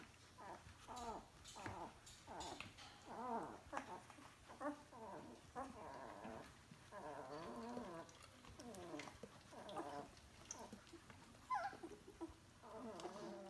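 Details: Litter of two-week-old puppies whimpering and squeaking together, many overlapping high wavering cries, continuous and quiet.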